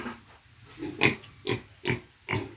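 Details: Newly arrived piglets on a pig farm, giving four short harsh snorting squeals spaced about half a second apart, preceded by a softer grunt.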